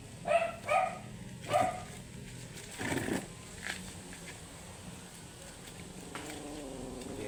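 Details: Matted Shih Tzu, angry during grooming, yaps three times in quick succession, then a rustling, scraping noise follows and a low mechanical hum runs throughout.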